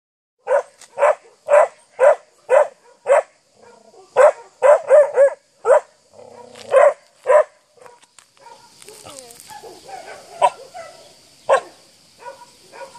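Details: Seven-month-old Akita barking at a horse; loud, sharp barks repeated about twice a second in runs, then scattered barks with a hissing high background noise.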